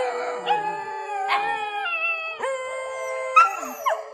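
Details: Nighttime dog howling: a few voices hold steady drawn-out tones together, sliding down in pitch in steps, with a sharp higher yelp near the end.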